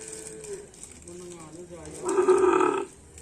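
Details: Karapan Sapi racing cattle of team Dracula Sakti at a training session on the Asemanis field: soft low humming tones, then a short, loud, nasal moo lasting under a second, with faint outdoor noise.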